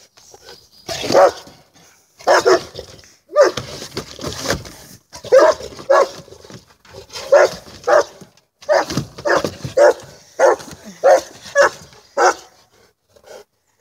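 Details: Saint Bernard dog playing with a toy, giving a series of deep, loud barks in short bursts roughly once a second, with brief pauses between groups.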